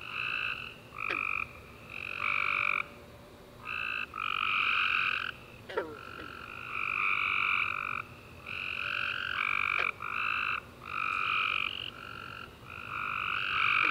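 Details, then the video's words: Several tree frogs chirping together in the dark after a rainy summer day, long overlapping trilled bursts filling almost every second, loud and steady, with a few sharp clicks between calls. "Tree Frog Chorus After A Warm Rainy Day - 10 Hours Tree Frogs Chirping You To Sleep"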